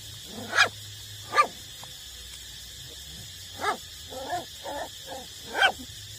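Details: Eight-week-old puppies still being nursed by their mother give sharp, high yips spaced a second or two apart, with a cluster of short whining notes in between, over faint background hiss.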